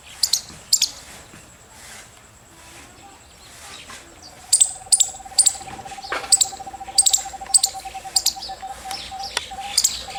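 A squirrel gives sharp, high-pitched chirps, short clicks repeated in quick bursts.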